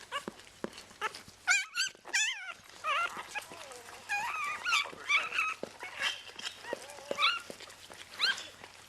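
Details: Newborn vizsla-rottweiler puppy just after birth, the litter's sixth: high, thin squeaks and wavering whines in short bursts, with human voices and handling noises.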